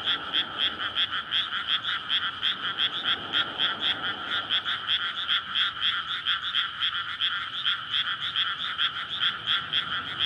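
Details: Frog chorus in May in flooded rice paddies before planting, surrounded by housing, recorded at night as frogs court to breed; dense overlapping croaks pulse rapidly in a steady band, with faint traffic rumble low beneath.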